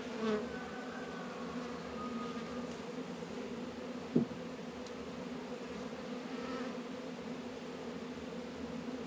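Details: Honey bees working at Warre and Langstroth hives in northern Kentucky on an unusually warm 72-degree February day; a constant low hum drones throughout, with a faint whistle early on and a single sharp tap midway.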